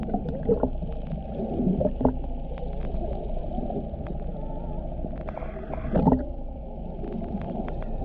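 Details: Humpback whale recorded underwater off the Ogasawara Islands, Japan, on 23 February 2021 during whale watching, near a mother, calf and escort; low moaning tones rise faintly through dense rumbling water noise, with a brief louder swell near the end.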